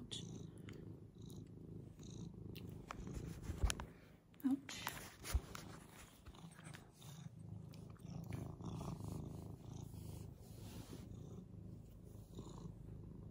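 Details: Frannie, an old senior adopted cat playing like a kitten, purrs in a low steady rumble indoors, with soft breathing cycles and a few sharp taps and rustles breaking through.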